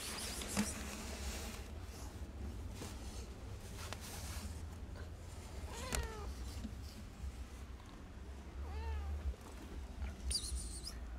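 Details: A hungry, timid kitten wanting food gives two short, arched, harmonic meows, one rising then falling, several seconds apart, over a steady low rumble with faint high chirps near the start and end.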